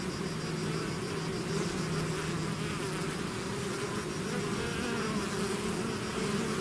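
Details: Constant buzzing of a bee swarm leaving its hive, an even low hum with a faint higher whine above, unbroken throughout.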